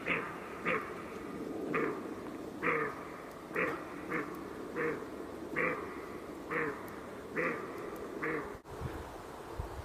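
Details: Roe deer calling: short, harsh, hoarse barks repeated at uneven intervals of roughly one second, about ten in a row, over a steady low background hiss.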